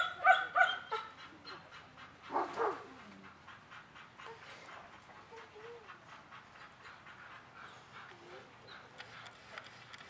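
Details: German Shepherd at a training class on 10 November 2019, during desensitizing work with aggressive dogs: a quick burst of sharp, loud barks in the first second, another pair near two and a half seconds, then quieter background with faint voices.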